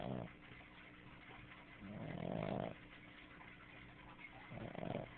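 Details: Snooki, a female Boston Terrier, snores loudly while sleeping, her throat moving with each breath; three rasping, buzzy snores, the longest near the middle lasting almost a second, separated by quieter breathing.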